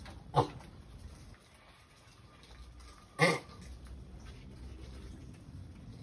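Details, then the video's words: Two clear, brief harmonic grunts, roughly three seconds apart, from a sulcata tortoise in the act of mating; low steady background noise between them. "Sulcata tortoise completed mating"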